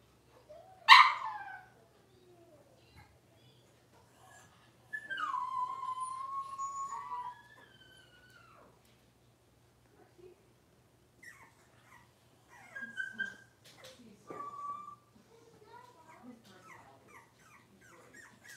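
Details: Six-week-old Cavalier King Charles Spaniel puppies in a puppy pen, while being dewormed and having toenails trimmed: one sharp yelp, then a long tonal whine that rises and slides down, followed by scattered softer whimpers.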